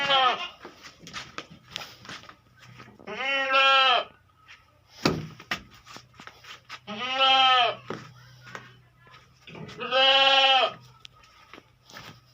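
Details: Beetal goats, females, kept on a farm in Hanumangarh, Rajasthan, India: three loud, drawn-out, quavering bleats spaced about three to four seconds apart, with clicks and faint background noise between them.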